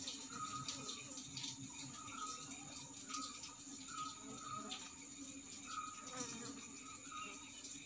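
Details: Asian honey bees (Apis cerana indica) in Sri Lanka at the start of bee season, drawn to a kalaya clay pot baited with honey and placed on a tree; a faint, steady low hum with hissy high background noise throughout.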